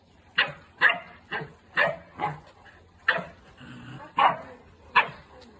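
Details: Two Boerboels at play, barking in short, loud, harsh bursts about every half second, nine barks in all, with a brief softer growl-like rumble between them.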